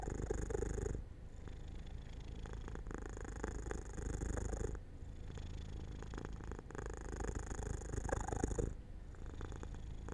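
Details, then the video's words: Cat falling asleep in the sun by an open window, purring low and rhythmically in long phases broken by brief quiet gaps as it breathes, indoors. "Jojo falls asleep near an open window in the sunlight - My Cat Makes Sounds 3"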